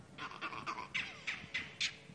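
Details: Monkeys furiously alarm calling at a leopard that has just crossed through, at sunrise in Sabi Sand, July 17 2016; a leopard alarm. Harsh barking calls repeat about every quarter second, six or seven sharp bursts in quick succession.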